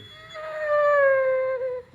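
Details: Indoors, the pet pit bull Zeusy 'talks' in a tantrum over waiting to eat: one long, loud, sustained whining howl that holds steady and sags slightly at the end, followed by a woman's voice starting to apologise.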